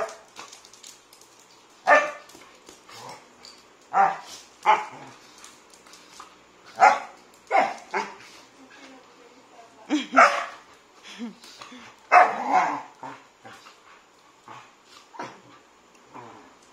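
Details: Three young Labrador mix siblings, half Labrador, playing together; short sharp barks and yips come in bursts roughly every one to two seconds, with a person speaking Spanish now and then.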